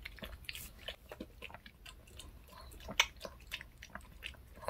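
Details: Reka, a pet dog, eats a handmade fish-shaped bun treat (bungeoppang) indoors in a small room: quick crisp bites and crunchy chewing clicks, irregular and close, one sharper snap near the middle.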